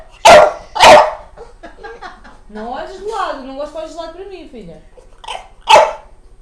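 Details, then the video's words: A house dog vocalizing at its owner: two quick sharp barks open, a person talks in Portuguese in the middle, and another loud bark comes near the end, with a softer one just before it. "Dog makes weird sound to his owner"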